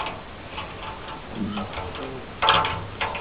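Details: Soft clock-like ticking and faint indoor room noise with a couple of louder brief knocks near the end, and no animal voice.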